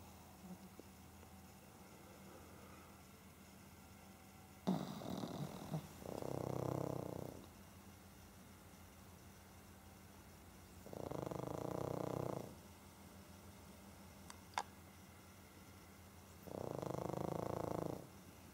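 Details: A pug asleep on a couch, snoring indoors: long rasping, rumbling breaths about every five to six seconds, each lasting a second or two, with quiet pauses between and a faint click.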